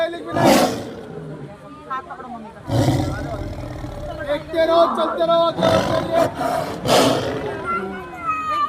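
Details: A zoo lion in Delhi, said to be aggressive, gives deep, rasping roars in bursts, with people talking nearby.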